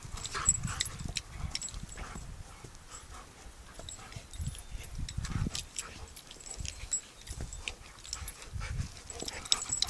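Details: A flat-coated retriever and a golden Irish setter play fighting as best buddies. Deep, rumbling growls come in short bursts throughout, mixed with scuffling and rustling noise.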